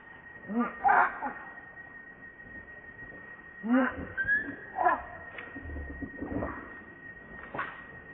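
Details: Baby monkey named RainBoww begging its mother for milk. It gives repeated high, wavering harmonic cries in short bursts near the start, around four to five seconds and again near the end, over a steady faint electronic hum.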